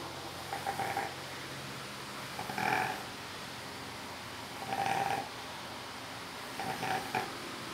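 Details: Cacau, a female Labrador, napping: soft snores come about every two seconds, each a breathy burst with a faint whistling tone, over steady background hiss.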